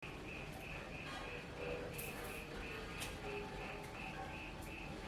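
A cricket chirps steadily, short high trills repeating about three times a second over a low background hiss.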